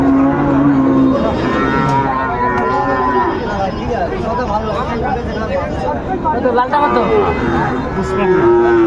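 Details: Sahiwal bull calf at a cattle market in Kurigram, Bangladesh, 21 February 2025: a steady, low, drawn-out moo opens the clip. It sinks under loud, continuous bargaining talk from traders and a busy crowd.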